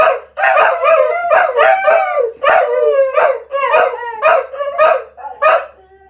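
Cocker Spaniels howl together in a run of wavering, yelping notes that rise and fall.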